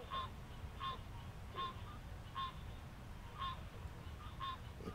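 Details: Male green treefrogs call in a marsh at sunset on July 11 in Alexandria, Virginia, giving short, nasal, honking 'quonk' notes repeated roughly every second, with other males in a chorus behind.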